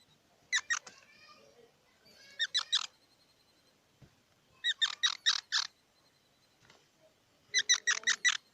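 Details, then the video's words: A squirrel chattering in rapid, squeaky bursts. Each burst is a group of three to five sharp notes, repeated about every two to three seconds, over a soft background hiss. "សំលេងដង្ហែន Squirrel 🐿️ Sound"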